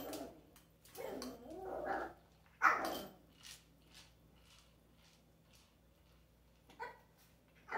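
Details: A pet dog with an interactive toy gives low, grumbling growl-barks in a burst over the first three seconds, then a short yap near the end, with a person speaking softly in a quiet room.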